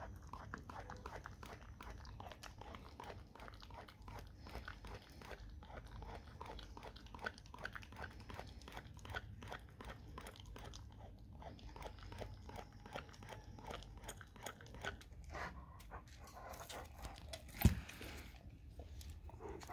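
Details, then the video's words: Dog chewing raw cow tongue in a small room: steady rapid wet chomping in a dense irregular stream, with one sharp loud knock near the end. "dog eat raw Cow tongue"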